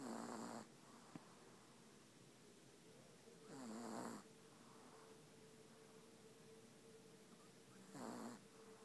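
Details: A sleeping dog named Ava snores steadily. Three harsh, rattling inhaled snores come roughly every four seconds, each under a second long, separated by quiet pauses over a low, steady background hum.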